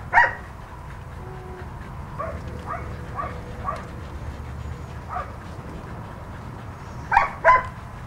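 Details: Ginger, a blue-eyed red and white female husky, two years old, at the Husky Haven of LA rescue with volunteers. One bright yelp opens, soft murmuring whines follow, then a sharp double yelp near the end.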